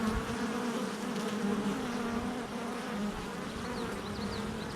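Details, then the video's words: Honey bees crowding a hive entrance, July 22nd, 2024: an even, low buzzing chorus with a steady hum throughout and a few faint high chirps near the close. "Honey Bee Hive Entrance Activity"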